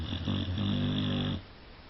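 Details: Cane Corso dog snoring indoors: one low, rough, steady rasping snore lasting over a second, then quiet.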